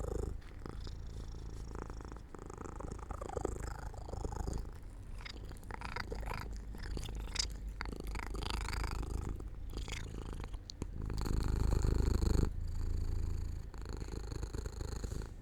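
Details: Cat falling asleep in sunlight beside an open window, giving a soft continuous low purr with less distinct breath breaks, swelling louder near the end.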